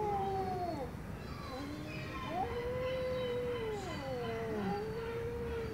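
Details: Angry domestic cat giving low, wavering, drawn-out yowls, almost continuous, the pitch sliding up and down and dipping in short bends, against soft background noise.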